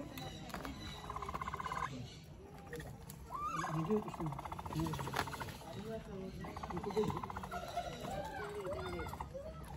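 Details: Capybara calling: three stretches of rapid, buzzy pulsed notes, each lasting one to three seconds, over low background rumble.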